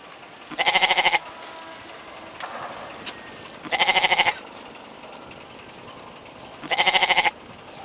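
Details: Goat bleating three times, roughly every three seconds: each call a harsh, pulsing, tremulous bleat of about half a second, with low background rustle between calls.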